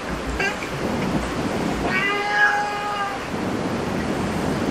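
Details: Cat in a cat cafe giving one drawn-out, slightly wavering meow of about a second, preceded by a brief short mew, over steady indoor room noise and murmuring.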